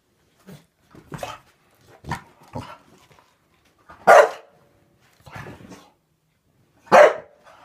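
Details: Indoors, a Staffordshire bull terrier lunges at bubbles, its mortal enemy, with a series of short barks and huffing snorts, two louder barks near the end roughly three seconds apart, room otherwise quiet.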